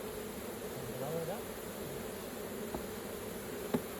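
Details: Honey bees at an opened hive during a raw honey harvest. A low, steady hum sits around the middle-low range, with a few faint tonal murmurs and a sharp tap near the end.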